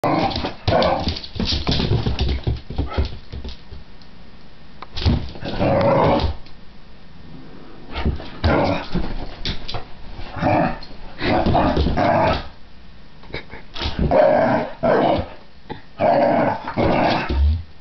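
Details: Pit bull facing a cat indoors, giving bursts of low, rough barks and whining vocalizations in clusters separated by short pauses, with some background noise.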